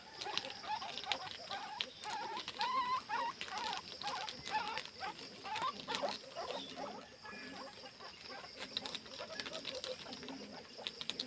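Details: Guinea pigs rushing alongside bunnies to eat leaves give short wavering squeaks in quick irregular runs, busiest in the first seven seconds, over steady rustling and crunching of leaves.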